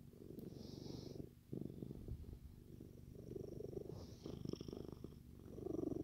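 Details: A male Siamese cat purrs in a steady, deep, rumbling rhythm while being petted, as a person talks softly and affectionately to him.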